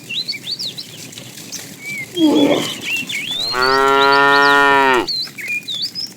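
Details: One cow from a tame herd out roaming for food in the morning: a short rough grunt, then a long level moo of about one and a half seconds ending with a drop, birds chirping around it.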